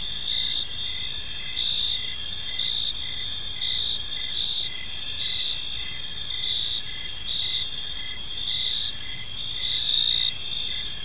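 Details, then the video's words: Evening park chorus of crickets: continuous high shimmering trills layered together, with short pulsed chirps recurring about every half second over a quiet low rumble of ambient noise. "Cricket Sounds in a Peaceful Park"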